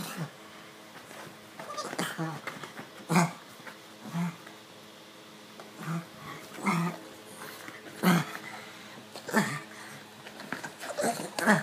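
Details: Stitch, a male pug indoors, scratches his itchy neck and lets out short low grunting snorts, spaced roughly a second or two apart, with rustling and breathing between them in a small room.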